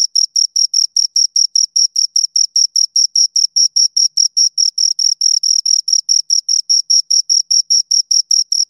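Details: Two crickets produce a continuous series of piercing, evenly spaced chirps, around five per second, sounding close and dry with no other noises present.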